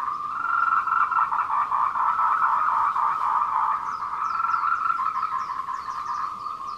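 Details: Courting tree frogs call in the afternoon, 14:00, 26 April 2018, along the Meiling Wulong trail, Nanxi, Tainan, Taiwan, on a Canon PowerShot. A continuous rattling chorus of quick pulses is joined midway by faint, high, thin chirps.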